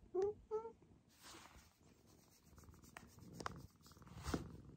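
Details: Maroshiro, a rescued cat taken in during 2014 and now head of the household, seeking affection like a kitten again in a private upstairs room; two short rising meows at the start, then quiet rustling and soft thumps.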